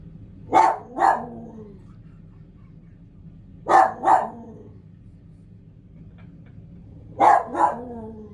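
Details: Pet dog barking indoors in three evenly spaced pairs of sharp, two-note barks, each pair about three seconds apart, with quiet background between them.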